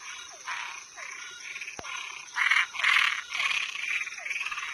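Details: Nocturnal toad and treefrog chorus: rough, pulsing croaks grow louder toward the middle, with brief descending chirps repeated between bursts, one sharp click, and a steady insect whine above.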